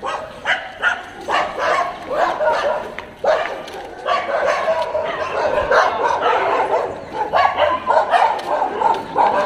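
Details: Dog in Jodhpur with a behaviour trainer, barking in short repeated bursts, several barks a second in places, over street noise and a man's voice talking in Hindi.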